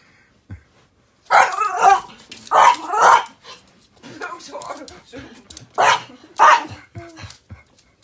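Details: Big dog protecting the house from geese: loud, harsh barks in quick pairs and singles, with a rougher stretch of growly barking in the middle.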